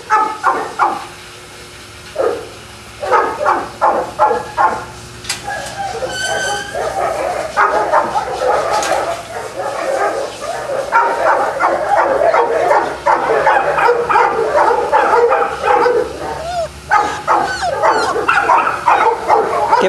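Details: Several Boston Terriers at a kennel in Jamundí, Colombia, near Cali, start with separate sharp barks that swell into a dense, overlapping chorus of yapping and yips, fading back to scattered barks at the end.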